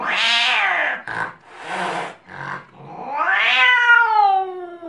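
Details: Angry domestic cat yowling: a loud, harmonic wail that rises and falls, broken by short, rough bursts in the middle, then one long, drawn-out cry that climbs and slowly slides down in pitch.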